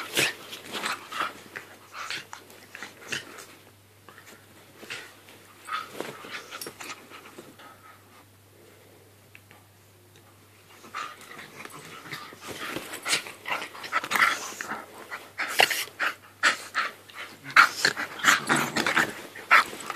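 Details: A Staffordshire Bull Terrier and a Jack Russell Terrier playing indoors make scuffling, huffing and snorting noises with short growly bursts, quieter in the middle and busier toward the end.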